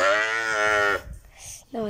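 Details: Calf lowing while a nose rope is tied on: a loud, steady, richly harmonic moo held for about a second, a brief quiet gap, then a second moo starting.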